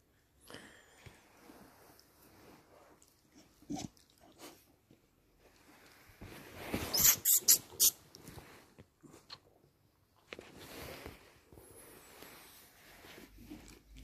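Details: A 10-month-old Patterdale Terrier sneezing: a cluster of sharp, hissing bursts in the middle, with soft sniffs and snuffles before and quieter breathy snorts and rustling afterward.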